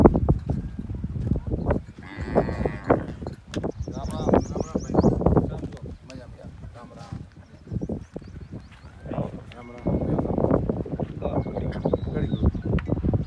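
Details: Kankrej cattle (Bos indicus) herd roaming free in the Kutch desert, lowing with deep, drawn-out moos over the shuffling of the moving herd.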